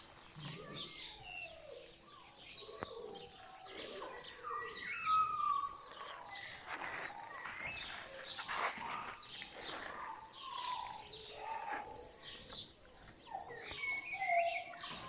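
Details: Puppies from a litter of My Black Butterfly and Bayleys squeal together in a dense, overlapping chorus of thin, high whistled whines and sliding yelps, continuous throughout with no pause.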